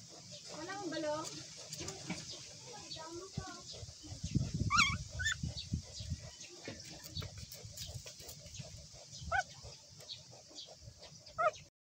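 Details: Newborn puppies crying: a run of wavering, high-pitched whimpers early on, a sharp rising squeal near the middle, then scattered short squeaky cries toward the end, over low rumbling and shuffling handling noise.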